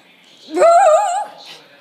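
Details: A Shih Tzu gives a short wavering howl, rising then holding a quavering tone for about three quarters of a second before fading, followed by a soft breathy sound.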